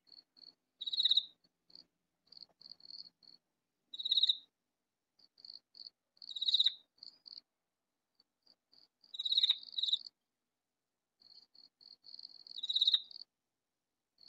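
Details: Hidden in a vegetable garden, a loud katydid gives five harsh, rasping bursts at roughly three-second intervals, each separated by quieter runs of brief, dry ticks.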